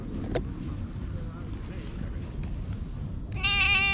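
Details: All-black stray cat that followed a person and climbed onto their lap, appealing for something in cat language, filmed on a GoPro HERO8: rustling handling noise, then a sudden loud, tonal, harmonic-rich meow in the final half-second.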